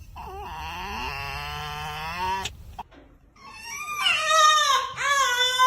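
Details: Pet fox giving a long, steady, high whine with a slight upward bend, a short pause, then louder wavering, warbling cries that rise and fall.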